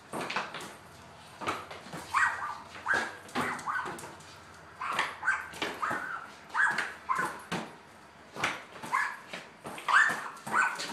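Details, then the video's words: Lady the border collie, playing basketball in a garage, whimpers and yips excitedly in quick rising bursts, repeated every second or so, over a background of ball bounces and shuffling. "Lady playing basketball (border collie dog)"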